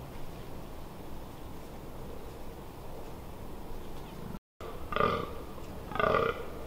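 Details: Rutting fallow deer in the Amsterdamse Waterleiding Duinen, 18 October 2021: after several seconds of quiet hiss, two hoarse, burp-like groans come about a second apart near the end.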